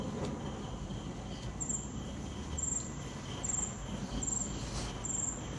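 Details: Crickets at night, with a gentle wind: high, thin chirping pulses repeat about once a second above a soft low rushing background.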